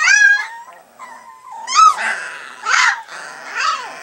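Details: Three-week-old Alaskan Malamute puppies whimper and squeal in high, wavering, tonal whines.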